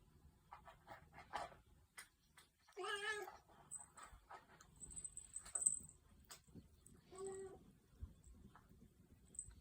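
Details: Domestic cat playing on a cat tower indoors, giving two meows: a long, wavering one early on and a shorter, lower one later. Scattered thumps and scratching from play, plus a faint high electronic whine.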